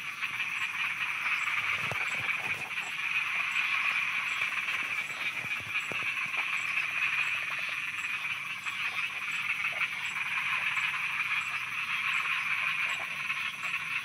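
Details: Night frog chorus recorded in Thailand, with faint, rapid croaking pulses running throughout beneath a dense, continuous, high-pitched insect drone and a soft ticking overhead.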